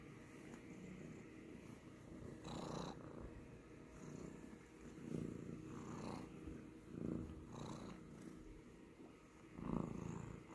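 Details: A domestic cat purring steadily, a low rumbling drone that swells in soft waves every second or so with faint breathy pulses; quiet indoor recording.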